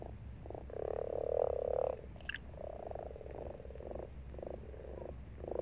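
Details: Frogs in a pond in March give low, pulsed croaks, with several calls overlapping in a steady chorus.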